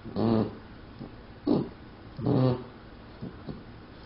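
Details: Sleeping pet puppy snoring indoors, recorded by a family member: three low, rough, buzzy snores with rumbling harmonics, each about half a second long, spaced roughly a second apart, with softer breaths between.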